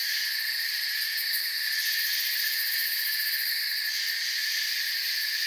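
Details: A forest chorus of crickets at night, continuous high buzzing trills layered at several pitches, the topmost band faintly pulsing, holding an even level throughout.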